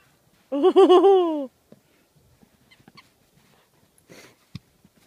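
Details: Old English Sheepdog playing in the snow at Wrightwood, California, playing catch and burying a squeaky toy; gives one wavering, high-pitched whine lasting about a second, followed by soft rustling in the snow and a single short thump.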